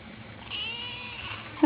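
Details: Ginger kitten crying, giving a single thin, high, drawn-out meow that slowly falls in pitch, followed by a sudden louder sound at the very end.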